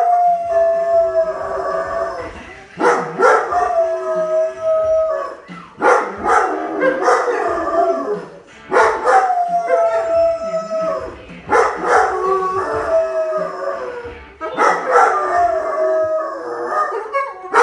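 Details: A female Weimaraner howls in long, wavering tones, joining in with AC/DC's rock song "Back in Black", which another dog in the home habitually howls to, though she seems unsure why.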